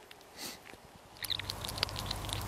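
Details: At night a hedgehog eats two skylark chicks, giving a quick irregular run of wet crunches and chewing clicks, with a chick's thin high squeal near the start.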